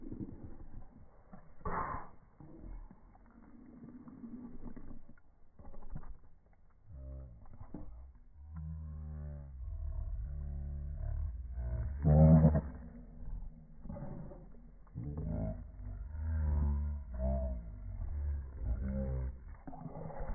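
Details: Boston Terriers in a tussle over a ball, playfully mouthing at each other: bursts of low, throaty growling alternate with short quieter gaps, with louder harsh snarls peaking about midway and again toward the finish.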